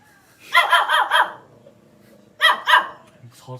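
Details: Puppy venting its anger indoors: a quick run of four sharp barks, then a pause of over a second before two more barks, with a faint trailing sound at the end.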